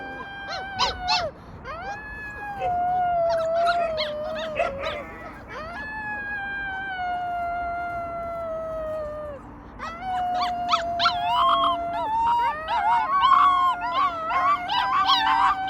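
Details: Young rescued wolves giving a chorus of drawn-out, slightly falling howls with bursts of squeaky yips at the start and end, and several pups sounding at once.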